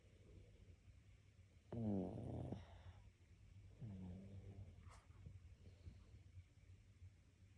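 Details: Dog asleep and snoring, with one loud rattling, harmonic snore lasting under a second, then a softer, lower one about two seconds later. Steady low rumble underneath.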